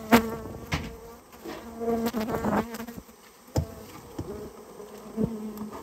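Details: A colony of rare Japanese honey bees being cleared from a storehouse where it had nested. A low buzzing hum is repeatedly cut by loud knocks and clattering from the removal work.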